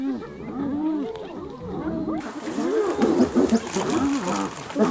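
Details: Hyenas attacking another hyena: overlapping rising and falling whooping and giggling cries, dense and chaotic, growing louder and harsher after the first two seconds.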